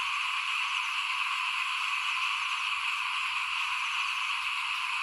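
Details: A 2021 rice-sowing evening in front of a house, filled with a continuous chorus of small frogs: overlapping rattling croaks blend into a constant shimmering drone with no pauses.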